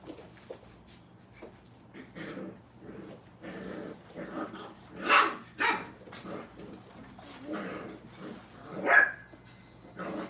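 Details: Brittany puppies at a kennel during crate and tunnel training, indoors; short high yips and barks come in uneven bursts, with two louder sharp yelps standing out above softer scattered cries.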